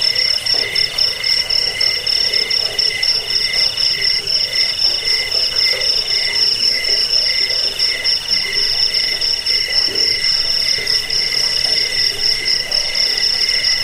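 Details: Crickets (jangkrik) on a recording meant to drive off rats, lull to sleep and tutor songbirds: a dense chorus of shrill, pulsing trills stacked at several high pitches, steady throughout, with softer irregular lower notes bubbling underneath.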